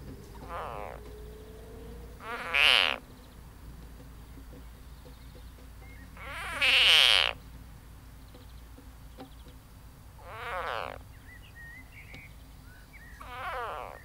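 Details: An edible frog (Pelophylax kl. esculentus) being swallowed by a grass snake gives loud, wavering, cat-like distress screams in separate bursts a few seconds apart.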